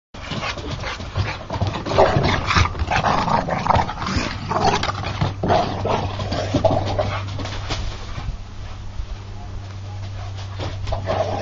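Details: American Bulldog at play fight: rough growls and huffing pants in uneven bursts, loudest around two to four seconds, easing later with a steady low hum underneath and a faint voice at times.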